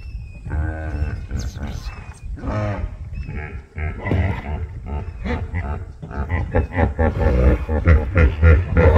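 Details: Hippos in a tranquil waterhole in Kruger Park honk as they communicate. Deep, resonant honking grunts come in overlapping bursts and build to a loud, rolling chorus, with the low rumble dominating.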